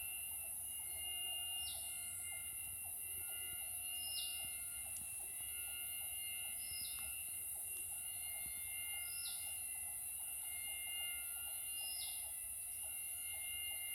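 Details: Possible crickets on the Dragons Crest nature trail, Krabi, Thailand, jungle, 2023: a continuous, high, metallic drone like drilling through solid steel, with steady layered tones beneath and a short descending note roughly every two and a half seconds.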